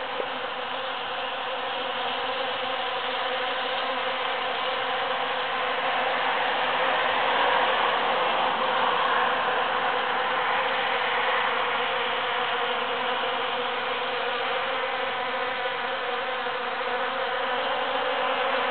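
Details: Busy bees foraging through huge cactus flowers after the June 22, 2013 Super-Full Moon; a dense, steady droning hum of many bees, swelling slightly louder midway, with layered buzzing tones throughout.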